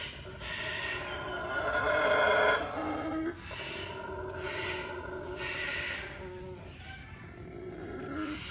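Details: A mantled howler monkey (mono saraguato) at a zoo in Tuxtla Gutiérrez, Chiapas, gives a rough, droning roar that swells and then breaks into shorter grunting bursts.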